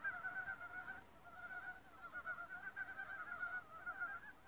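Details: Chorusing forest frogs: steady stream of fast, pulsed croaking trains, one fading near the first second before several voices join again and overlap to the end.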